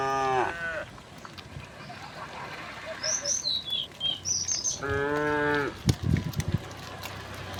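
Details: Tame cattle walking along a country road, mooing: a short hoarse moo at the start and a longer harmonic moo near the end, with high chirping bird calls in between and some scuffling.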